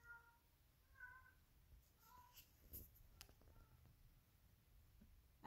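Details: Female domestic cat singing to a toy indoors: soft, quiet meow-like notes, short and tonal, repeated about once a second, with low room rumble and faint clicks in the background.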